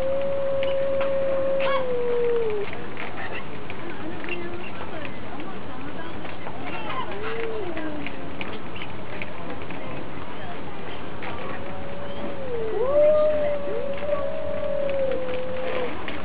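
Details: A pair of cats fighting: an opening long, level yowl that bends downward, scattered short low moans, then a rising, warbling howl near the end, with steady background noise between.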